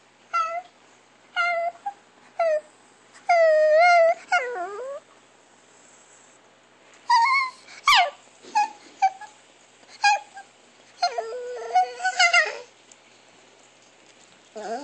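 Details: Weird sounds from Chihuahua Alexa: short high yips, a long quavering warble falling into a moan, then rapid clusters of whimpering squeaks and wavering whines in bursts.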